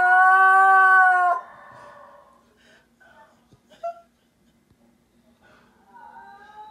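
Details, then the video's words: A Basenji yodeling at another Basenji on TV gives a loud, rich yodel that breaks off, followed by softer warbling sounds. "Basenji Yodel"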